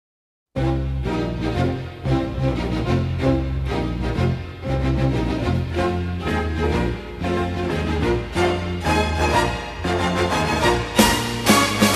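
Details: Upbeat music with a steady beat plays throughout, and no animal sounds can be heard.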